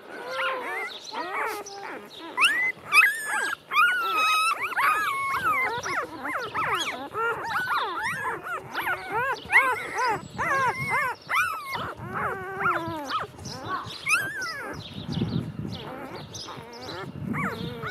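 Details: Golden Retriever puppies only two days old, a busy chorus of squeaky whines and whimpers from several pups at once, rapid overlapping rising-falling cries, with low soft rustling near the end.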